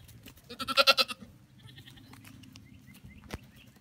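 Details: Baby Pygmy goat at play, one loud wavering bleat pulsing in quick beats for about half a second, followed by softer background noise and a sharp knock.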